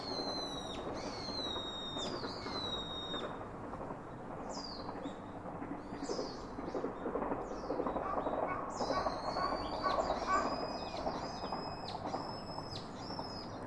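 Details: Baby monkey calling its father for comfort: opening series of arching, squealing whines, a quieter middle with brief high chirps, then a long string of loud, sustained, overtone-rich cries over mid-range background noise.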